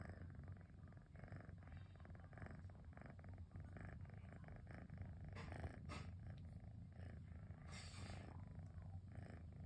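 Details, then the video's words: A relaxing rainy afternoon with Cosmos, a pet cat, purring in a constant low motor-like drone, with a few brief brushing or rustling noises partway through. "Cosmos Motor-like Purring sound"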